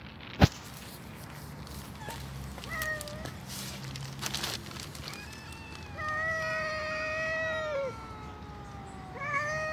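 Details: Stray cats, among them Crying Joe, outdoors: a short meow near three seconds, then a long drawn-out wailing meow of about two seconds that drops at its end, and another beginning at the close, over steady background hiss and an early sharp knock.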